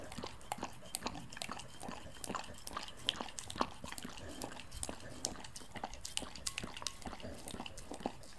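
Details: Samoyed licking milk very close to the microphone, a dense run of quick moist clicks and small tongue smacks, irregular but continuous, indoors and otherwise quiet.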